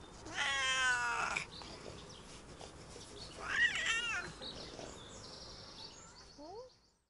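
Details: Domestic cats during a vet visit and car ride: three cats, a Siamese, a Burmese and a Bengal. A long harmonic meow, then a shorter wavering meow, with faint rustling and a brief squeak near the end.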